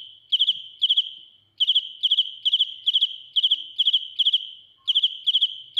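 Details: Close-up of a dế mèn, or field cricket, calling shrilly: bursts of three to four rapid pulses repeated roughly 140 times a minute, broken by brief gaps, over a quiet background.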